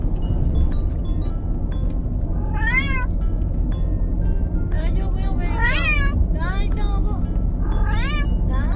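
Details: Bengal cats, five travelling together by car, giving repeated wavering, bending meows, three clear calls in quick succession over a constant low road rumble.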